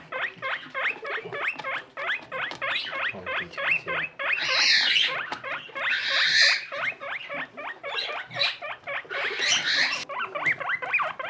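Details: Small skinny guinea pig Boniface, kept with friend Pushok: fast repeated rising squeaks, roughly three or four each second, interrupted twice by loud hissing rustles as something moves close by.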